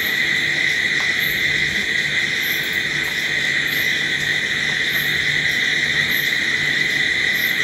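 Crickets fill the night with an unbroken, ringing trill from many callers at once. Above it, thin, very high pulses come back roughly every second, with no other sounds.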